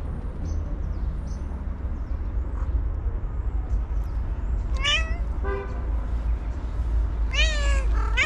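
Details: Angry white cat screaming: two bursts of harsh, wavering yowls with rich harmonics, the second a rapid stuttering series near the end, over a steady low rumble of traffic.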